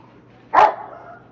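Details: Two-year-old male German Shepherd during an obedience training session in El Paso, Texas, a dog with a history of leash pulling, jumping and growling at people; a single sharp bark, short and loud, in an otherwise quiet room.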